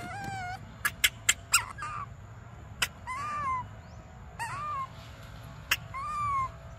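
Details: Baby monkey Briar crying for milk: plaintive, tonal wails that arch up then fall, each about half a second, repeated five times, with sharp clicks and knocks between calls and a low background hum.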